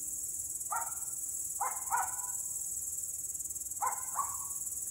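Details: A steady, high-pitched buzz of grasshoppers or other insects drones on without a break, heard in the evening, with the neighbours' dog barking in the distance.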